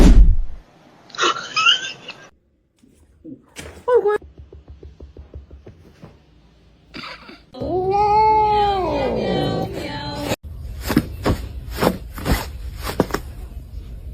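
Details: House cat from a funny-cats compilation lets out one long drawn-out meow that rises, holds, then falls. Before it come rustling and short clicking taps; afterwards, sharp knocks and voices.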